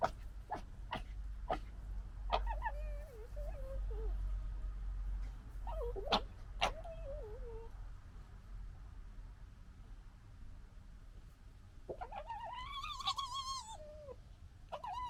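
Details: Gekkering and fighting among red fox cubs of the 2021 litter: a few sharp clicks, then short wavering whines that dip and wobble, and a long harsh warbling squeal near the end, with a low background hum.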